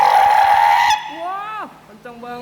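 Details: A sea lion of the fur seal type gives a long, high, shrill honking call, followed by a person excliming.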